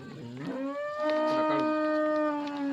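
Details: A cow on an Indian farm, lovingly nursing her calf, gives a long moo: a short rising start, then a steady, level droning tone held for about two seconds. Only faint background noise is heard.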